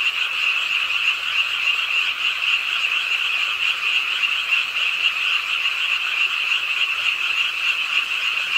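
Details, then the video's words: Frogs calling together at a pond edge in an urban park in Suwon during night rain. Their croaks run fast and overlapping, forming a continuous, even, high rattling drone with no pauses. "비오는 밤 개구리소리"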